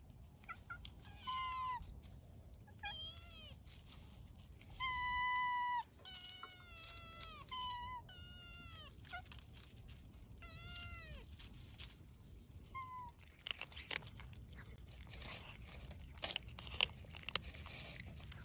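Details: Cat filmed outdoors while eating, giving a run of clear meows, some drawn out and falling in pitch, others short and bending, about two a second at first, then quieter chewing and clicking noises toward the end.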